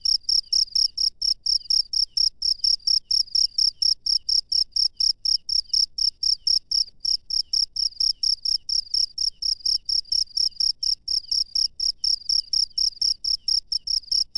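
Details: Cricket chirping at night in the wild in Indonesia: steady trains of short, high-pitched pulsed chirps, about two per second, evenly spaced and continuing without pause, over a quiet, faint low background rumble.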